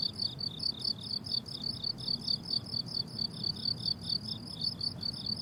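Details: Chorus of crickets on a blooming summer meadow: a continuous series of short, high, trilled chirps about twice per second, slightly overlapping, with faint low background rumble.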